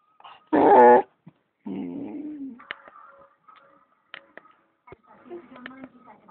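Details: A cocker spaniel gives a loud, strained howl, then a lower wavering whine, "singing" along to the Coronation Street television theme music.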